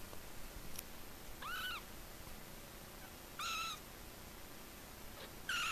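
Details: Three-week-old calico Persian and chocolate point Himalayan kittens give three clear, high, arched mews about two seconds apart, each rising then falling, against constant background hiss.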